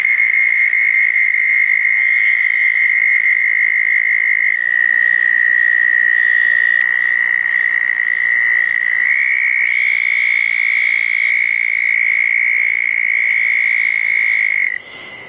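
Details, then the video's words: Several southern toads gathered at two small ponds after a June 10, 2014 thunderstorm. Long, high, buzzing trills overlap, and the chorus steps between slightly different pitches as callers start and stop. It cuts off abruptly at the end. "Toads in the pond, frogs in the trees- a wet night"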